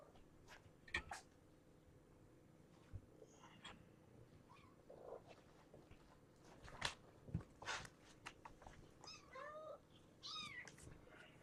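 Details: Morning with young kittens Egon and Ray, sons of brown tabby Janine, at Purrfect Pals in Washington: a few short, high, arched mews, mostly near the end, between soft rustles and thumps in a small room.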